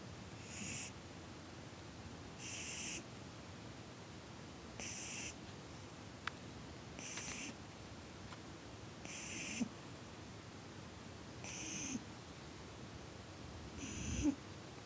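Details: Small black female pug snoring while asleep on her back: soft, airy snorting breaths repeating roughly every two and a half seconds, quiet and hissy, with a few faint clicks in a still room.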